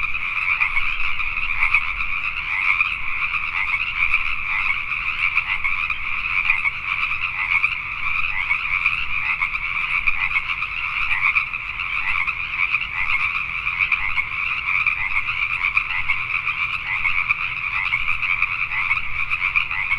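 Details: Night recording from Richmond, British Columbia, Canada, of a full Pacific tree frog chorus: countless overlapping croaks merging into a steady, throbbing rasp that never lets up.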